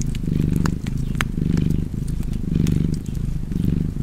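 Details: Cozy cat purr by the fireside, a deep continuous rumble pulsing in roughly one-second waves, four rounds of breathing in and out, dotted with bright snaps from burning logs.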